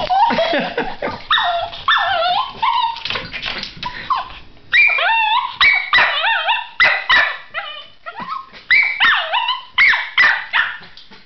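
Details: Miniature Schnauzer puppy straining to reach cheese-topped pasta on a coffee table just out of reach: a rapid string of high, wavering whines and yelping cries, some rising then falling, with brief gaps between bursts.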